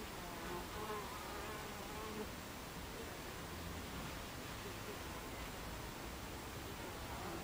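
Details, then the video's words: Hive entrance of Buckfast bees, 26 July 2013, 14:30: an even, unbroken swarm hum fills the recording, with short faint whining flight tones from nearby bees drifting in and out. "Beehive Entrance Buckfast Bees"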